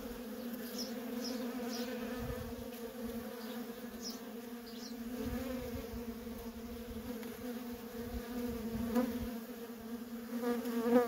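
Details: Steady droning hum of worker honey bees streaming in and out of a feral colony, continuous low buzzing with layered overtones, a few louder close passes near the end, and faint high bird chirps scattered above.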